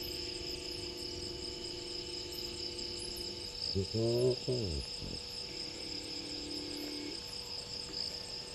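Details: Lone spotted hyena walking past Gowrie dam waterhole at night (23:19, 01/03/20), Djuma Game Reserve, Sabi Sand, South Africa, calling as it spots a second hyena; one short, low, harmonic whoop about a second long over steady cricket chirring.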